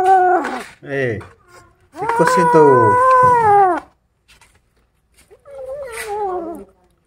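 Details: Angry kittens guarding a rat they are eating: sliding, downward-bending moans, then a long loud wavering growl lasting nearly two seconds, a pause, and a shorter falling moan, mixed with human speech.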